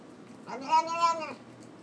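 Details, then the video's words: Domestic cat named Nom nom 'talking' over its food indoors: a single drawn-out meow with a rich stack of harmonics, rising then falling over about three quarters of a second, with faint music and a person's voice around it. "Talking Cat nom nom"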